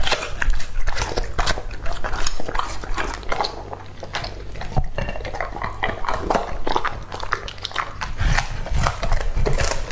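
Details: A male English-type Labrador Retriever named Lucky, aged two and a half, feeds on raw food such as a whole squab. Crunching and smacking chews repeat steadily, with faint clinks like a bowl and dish.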